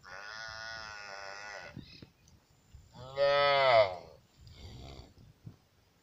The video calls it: Best LAMB SOUNDS 📢📢